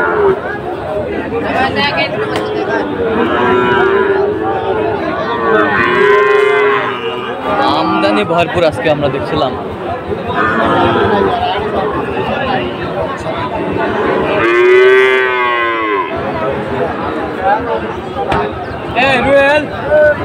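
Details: Sahiwal bulls at a cattle market in Dhaka, Bangladesh, on 16 September 2024. Loud drawn-out harmonic lowing rises and falls repeatedly, with one strong bellow near the three-quarter mark, over constant crowd chatter and talking.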